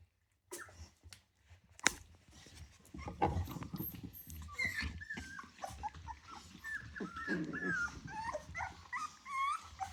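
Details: Rottweiler puppies just over three weeks old from a litter of ten, producing a run of whistled, bending whines that grow more frequent toward the end, preceded by sharp knocks and low rumbling movement noise.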